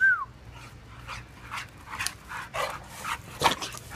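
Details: Duke, a blue and white Staffie, and Robin, two shelter dogs up for adoption, playing together; a brief high whine opens, then a string of breathy, rough play huffs and snorts over a steady low hum.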